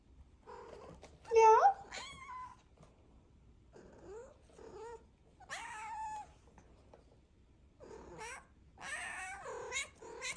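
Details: Domestic cat chattering in bursts of meows and trilling calls, some bending upward in pitch, alternating with softer murmurs and possibly a person's voice between calls.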